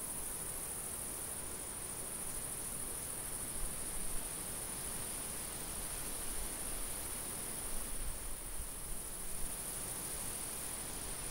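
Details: Crickets trilling across a summer field: a sustained, even high-pitched buzz that briefly softens midway, accompanied by light wind rushing and low rumbling gusts.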